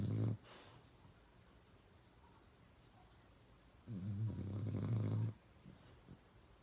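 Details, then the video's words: Uno, a pet dog, snoring loudly indoors: a short rasping snore at the start, a long pause of quiet breathing, then a second low, rattling snore of over a second. "Uno Drinking Water and Snoring really loud"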